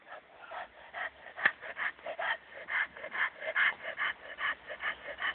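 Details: Dogo Canario, champion Hena or Dagmar, during attack training; a quick, fairly even run of short harsh barks, about two per second, somewhat distant and muffled.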